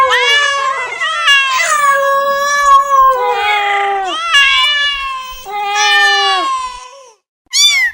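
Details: Domestic cats giving long, loud, wavering meows one after another, some with a yowling, caterwaul-like quality, then a short pause and a final brief high mew.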